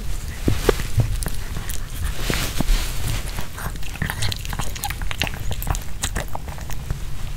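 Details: Pomeranian dog eating a homemade chicken hearts kebab with bell pepper, no talking; irregular crisp wet crunches and bites, several per second, over a steady low rumble.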